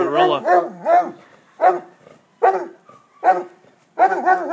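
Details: Basset Hound giving a string of bays: about seven short, rich, wavering howl-like bursts spaced roughly half a second to a second apart, each with a quavering tone, separated by brief silences.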